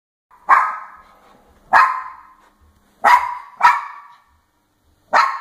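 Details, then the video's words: Papillon Chihuahua barking at the top of the stairs indoors: five sharp, high single barks, the first two about 1.2 seconds apart, then a quick pair, then a last bark after a pause, each ringing briefly in the room. "Papillon Chihuahua barking at top of stairs"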